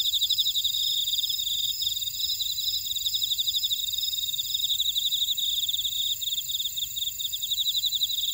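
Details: Insects calling in a buckwheat field on volcanic Jeju Island, South Korea, at Orai-dong, in a continuous high-pitched pulsing trill that stutters briefly near the end, over bright sustained whining tones.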